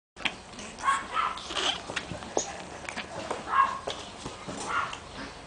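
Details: Shih Tzu giving short, high, tonal whimpering squeaks in a few separate bursts, some rising then falling, with soft rustling and faint background noise between the cries.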